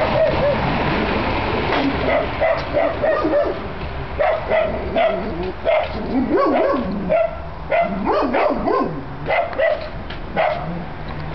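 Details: Great Pyrenees dog recorded in April 2006, giving a run of short, deep, hoarse barks and yips that come closer together and louder toward the end, with steady background noise throughout.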